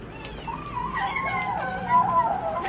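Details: Hungry cat eating fish on its own and not sharing with its mother; a drawn-out wavering meow, sliding up and down, with a faint background hum.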